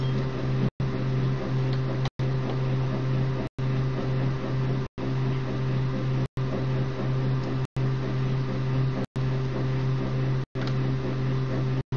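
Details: Steady low mechanical hum with strong tonal bands, cut by brief silent gaps about every 1.4 seconds; no animal voice is heard.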